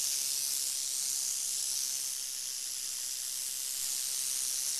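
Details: Steady, shrill, hiss-like buzzing from a northern Pacific rattlesnake, constant in loudness from start to finish without pauses.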